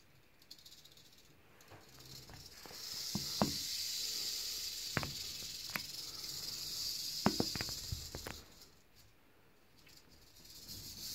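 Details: Eastern diamondback rattlesnake rattling: a steady high-pitched buzzing hiss swells in about three seconds in, holds for nearly six seconds, then fades, with scattered sharp clicks and knocks throughout.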